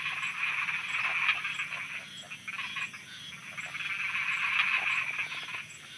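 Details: Many frogs croaking at night in Thailand: a dense, rattling chorus of overlapping croaks that swells and fades in waves, with a faint high ticking repeated about every half second in the background.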